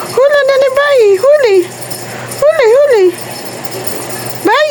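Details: Cat said to be talking, uttering wavering, sing-song meows in two bursts, each a chain of rising and dipping syllables, plus the start of another call at the end.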